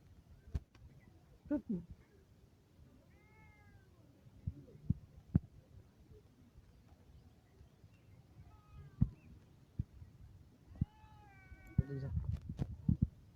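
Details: A domestic cat waking someone gives three short, quiet meows spaced several seconds apart, each rising then falling, among soft clicks, rustling and handling noises.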